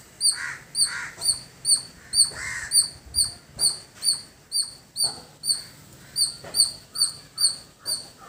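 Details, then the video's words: Village squirrel giving a run of short, high, clipped chirps at a steady pace, about two per second. Harsh caws from another bird break in near the start. "Beautiful Squirrel Making Sound"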